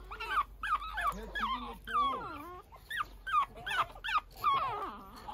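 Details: A Pekingese puppy out early in the morning whines in a rapid string of high, wavering, nasal cries.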